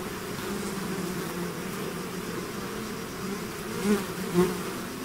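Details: Buzzing of a bee swarm out of its hive, a steady low drone of many insects with two louder bees passing close in the last second and a half.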